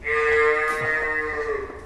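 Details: Water buffalo that calved 13 days ago, shown for sale at a dairy farm, gives a long steady harmonic moo lasting nearly two seconds, slightly falling at the end; faint background noise.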